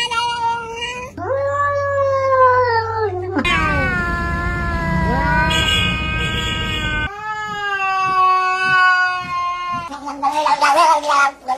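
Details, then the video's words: Pet cats yowling and meowing in long, sustained, strongly harmonic cries, some steady and some bending downward, spliced into several abrupt sections with a faint hum underneath. "Cats meowing!"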